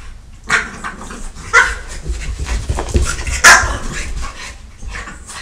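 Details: Dogs fighting while left home alone, a French Bulldog attacking a Catahoula: sharp, rough barks and snarls in short bursts at irregular intervals over a low rumbling background.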